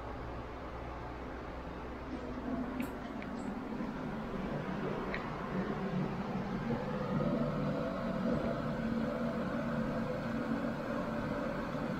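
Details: Low mechanical hum in a small room slowly gets louder, with a few faint clicks and taps but no animal calls.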